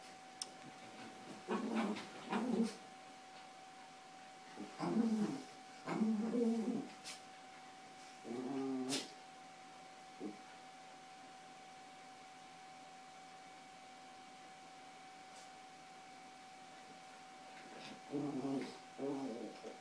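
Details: Playful tussle over toys on a bed between Yorkshire Terriers Carla and Paco: brief throaty growl bursts come in clusters, then a long quiet stretch before two more rough growls near the end.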